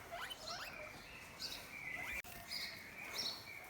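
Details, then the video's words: On a farm on a hot morning during the 2020 lockdown, hungry guinea pigs squeal loudly in a chorus of high, rising wheeks, calling out for their breakfast. "so we've come in to have a look at some of our rabbits and guinea pigs and you can hear the guinea pigs are shouting at me because they are wanting their breakfast"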